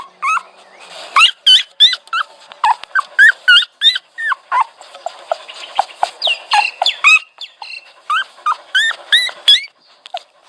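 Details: A dog whines almost nonstop for ten seconds, about thirty quick, high, yelping whimpers with rising and falling tones, bunched in excited clusters with brief gaps, fading at the end.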